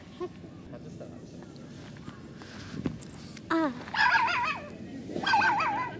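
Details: Male Smooth Coat Chihuahua puppy named Chibi, born 18 April 2021, on his first visit to a dog run. Not yet used to it, he hides at his owner's legs and gives wavering, high whines in short bursts over a low background hum.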